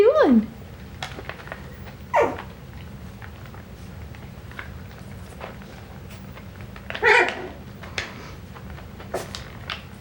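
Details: Coton de Tulear puppies from a breeder's litter, filmed 9/12/22, let out three sharp descending whining yelps, the first and last loudest, separated by several seconds of quiet rustling and low hum.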